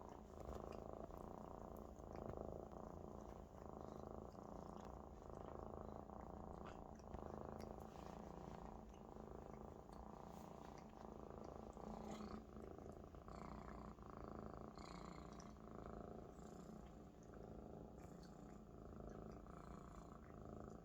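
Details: Maine Coon kitten, happy and relaxed on its big fluffy friend, purring loudly indoors; a long, steady low purr pulsing with each breath, light clicks and rustling scattered through.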